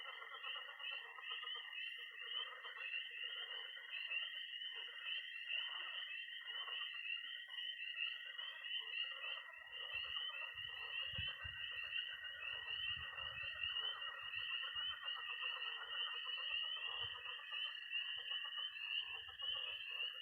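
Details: Night chorus of tree frogs, toads and pond frogs in early spring in Missouri: a dense, continuous high peeping band with a steady trill beneath, plus lower croaking notes and a patch of low rumble in the second half.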